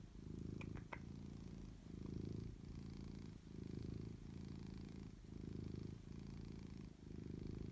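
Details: Cat purring steadily, deep buzzing rumble with regular breathing rhythm, about seven pulses over the stretch, with a couple of faint clicks near the start.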